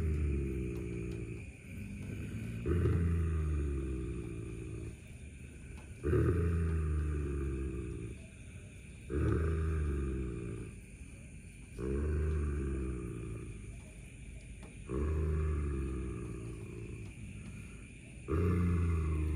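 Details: German Shepherd Don defends a buffalo horn found on an evening walk while Shadow waits to grab it; deep rumbling snarls repeated roughly every three seconds, each swelling then fading, with steady background hiss.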